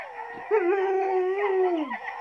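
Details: Siberian Husky howling: one long, steady, smooth tone held for about one and a half seconds, wavering slightly, then sliding downward at the end, preceded by a brief softer note.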